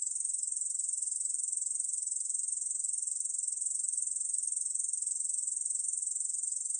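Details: Sustained metallic buzzing of an Ussur brown katydid, from the National Institute of Biological Resources, 2020, its pulses slightly quicker at about two and a half per second, with no background noise.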